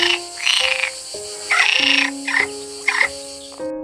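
Pond frog giving harsh, rasping croaks in short bursts over steady background music.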